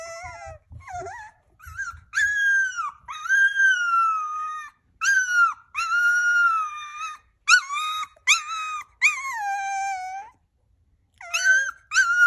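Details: Hungry puppies whining to say they want food: long high tonal whines, some sliding down, others held flat, repeated in bursts with short gaps, several voices overlapping, indoors.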